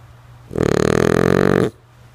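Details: A sleeping female French Bulldog, Lulu, lets out a single loud snore of just over a second, a raspy fluttering rattle rising and then cutting off, with a low hum beneath.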